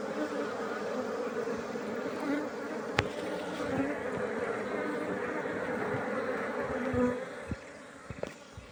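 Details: Continuous low hum of honey bees, an even buzzing drone broken by a couple of sharp clicks, fading slightly toward the end.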